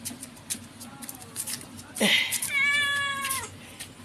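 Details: Pet domestic cat letting out a loud, long meow lasting about a second that holds its pitch and then dips slightly at the end, following a short burst of a person's voice and soft clicks.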